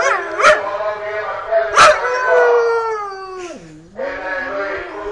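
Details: Siberian husky howling, said to be annoyed by loudspeakers, gives a long wavering howl that slides downward, then dips low and rises again, broken by two short sharp yips near the start.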